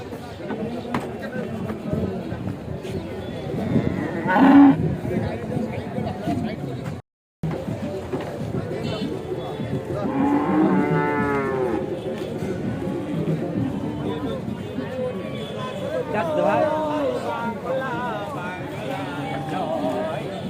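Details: Cattle being unloaded from a truck at a cattle market in Bangladesh; a few harmonic moos rise and fall among steady crowd chatter and human voices, with a brief silent gap near the middle.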